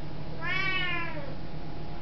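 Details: Very talkative Siamese cat giving one deep, loud meow as a hello, under a second long, arching slightly up then gliding down, heard indoors against steady low hum; footage dates from 2005.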